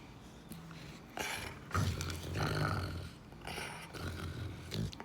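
Low, throaty growls from a Rottweiler come in uneven bursts of a second or so. Rough, breathy snorts and grunts run between them, with a little background noise.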